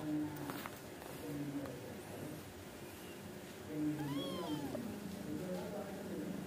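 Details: Indoor Angora cats, a mother and her kittens chatting while she scolds them toward sleep; one clear arched mew rises and falls midway, with softer low vocal murmurs and faint background noise around it.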